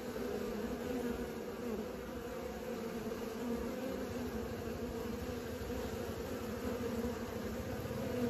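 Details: Honey bees on their first flights fill the air with a thick, constant buzzing drone, evenly pitched and unbroken, with a faint low rumble underneath.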